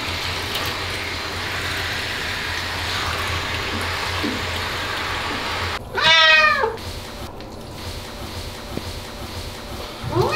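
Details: Bath-hating Ragdoll cat Aman screams during a year-end bath: after a long stretch of steady droning background noise, one loud wavering harmonic yowl near six seconds, then the start of another at the end.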